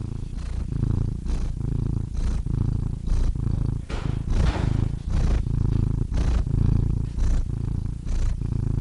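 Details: Purring cat, a deep rumbling drone pulsing with each breath, with a brief rustling burst partway through before the steady purr resumes.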